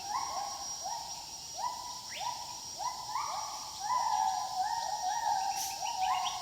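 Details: Wild gibbons calling together: several voices overlap in quick rising whoops that level off, each note sliding up then holding, repeated about every half second, with a steady high insect drone throughout.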